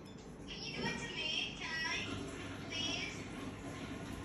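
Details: A Toy Poodle fearful of sounds and moving things gives thin, high, quavering whines of about half a second, repeated, over a low background hum; finding: Toy Poodle.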